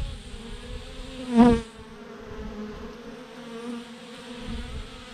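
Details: Massive clump of honey bees hanging from a branch. A soft, continuous hum carries throughout. Near the start a single bee zips close by, its buzz briefly swelling loud and rich before dropping back to the swarm's steady drone.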